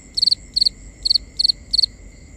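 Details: Crickets at night in a forest chirp in short pulsed bursts, each trill repeated about every half second.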